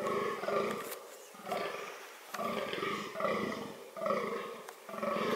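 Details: Fallow deer (Dama dama) in reproductive behaviour producing loud, rasping groans, about four drawn-out belching calls with short gaps between them.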